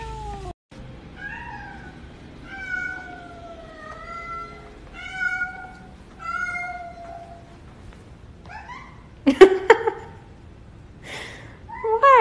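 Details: Domestic cat giving a run of short, high, clear mews, about six in eight seconds, each slightly bending in pitch, followed by a louder rough burst and a final mew over a steady background hiss.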